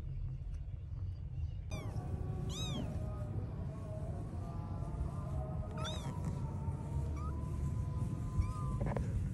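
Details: Pet kittens of a cat family calling as they find their mother: a few clear, high, bent mews in short clusters, with faint sustained tones and a constant low hum underneath.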